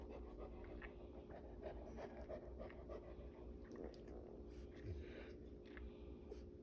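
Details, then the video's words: Female Cane Corso in labour, pushing out her fourth puppy after already delivering three, panting quickly and unevenly at roughly 200 breaths a minute over a steady low hum in a quiet room. "Cane Corso having puppies"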